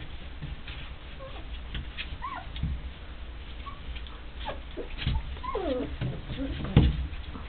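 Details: Three-week-old Rhodesian Ridgeback puppies, born 1 November 2009, play-fighting with their littermates while barking and growling. Several short, high squealing yelps and whines with bending pitch come at scattered moments over a low, rumbling background.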